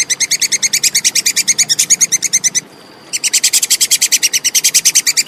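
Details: Plantain squirrel calling clearly, a recording meant for training competition songbirds: fast series of sharp, high, evenly spaced chips, about five per second, stopping for half a second before resuming at the same pace.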